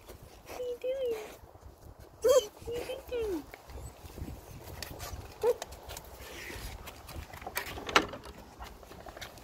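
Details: German Shepherd greeting its owner, giving high, thin whines that bend up and down in short wavering bursts, with a person talking over them throughout.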